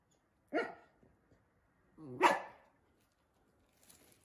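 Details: Samoyed dog indoors reacting to the invisible challenge gives two short, hoarse barks about a second and a half apart, with a person speaking quietly afterwards.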